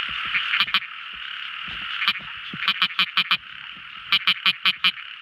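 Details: Small frog singing at night: rapid runs of five or six bright tapping notes, evenly spaced, rise above a steady background chorus of high trilling frogs.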